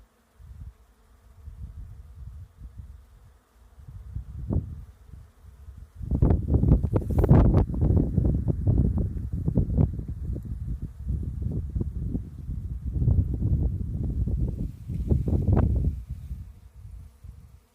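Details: Bees in a lavender field; low droning buzz rising and falling as insects pass close, louder and denser after six seconds, with brief bursts from passing flights.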